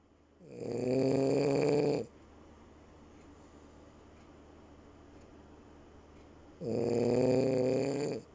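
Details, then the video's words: Nino, a French Bulldog, snoring indoors: two long, rasping, buzzy breaths about five seconds apart, each lasting roughly a second and a half, with quiet breathing between. "French Bulldog... Nino...tu ronfles !!"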